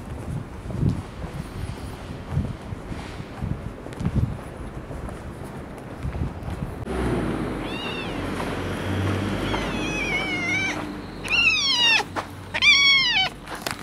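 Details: Cats checked on outdoors after a typhoon in the first weekend of October 2014; after several seconds of low rustling and footsteps, a series of short, high, wavering meows comes in quick bursts, several overlapping near the end.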